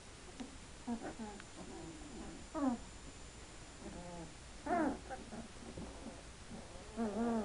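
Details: Two-week-old Hungarian Vizsla pups give scattered short squeaks and brief rising-falling whines, spaced out by quiet gaps, over a faint steady background hiss.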